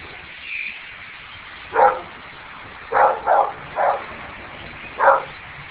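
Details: Pet dogs bark indoors through a window at an enormous blackbird flock passing over; about five sharp, mid-pitched barks are spaced irregularly, one close pair among them, against a constant rushing murmur from the birds.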